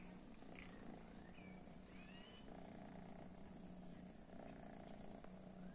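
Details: Pet cats exposed to cat weed, which they disliked; a low purr runs in even pulsing waves, with a couple of thin rising chirps near two seconds over quiet indoor hum.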